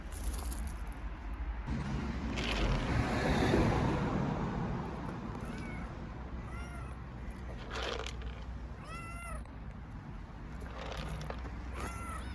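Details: Hungry stray kittens living on the street in Istanbul meowing loudly: a few short arched meows in the second half, rising then falling, over steady low rumbling street noise with a brief louder swell early on.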